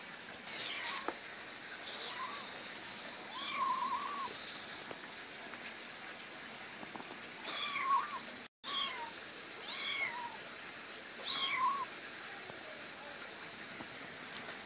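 A young domestic cat gives a string of short, high, wavering meows, some rising and falling, spaced a second or two apart. A constant soft hiss runs underneath throughout.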